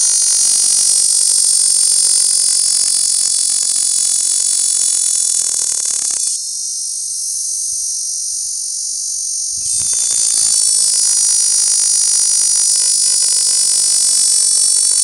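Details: A male Cactus Dodger cicada clinging to a dead tree cholla skeleton gives a loud, steady, high-pitched buzz-saw song that thins briefly midway, on the morning of June 18, 2013, in Canon City, Colorado.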